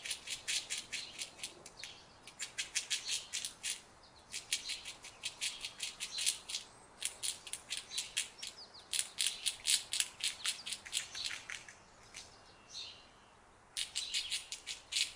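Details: An Indian squirrel calls with sharp, high chips in quick rattling bursts, repeating every second or two with short quiet gaps between.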